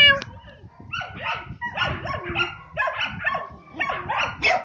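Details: Five-month-old male Samoyed puppy, a show and breeding prospect, gives a run of short, high, harmonic yelping barks about every half second. A person's voice is heard at the start.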